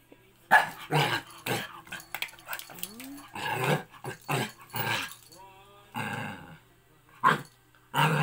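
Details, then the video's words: A Shih Tzu mix dog, indoors, scared of a sandal, gives short rough barks and growling bursts in uneven bursts, with a few faint whining squeaks between them. "Sophia scared my sandal"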